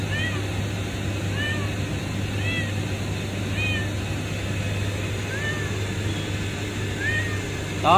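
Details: Found beneath a pipe at a refinery, a kitten repeats high, curved meows roughly once a second, heard through low industrial hum with a voice at the very end.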